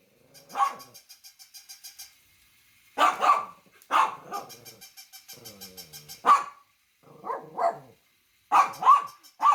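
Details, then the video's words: A dog gives loud, sharp barks, some singly and some in quick pairs. Between them a rapid, even ticking pulse runs in the background. "Funny Dogs Barking to Make Your Dog Bark"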